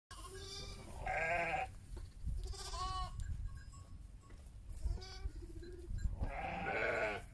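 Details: Heidschnucke sheep with their lambs, bleating in wavering, quavering calls of differing pitch, several in a row and overlapping, against low rumbling background noise.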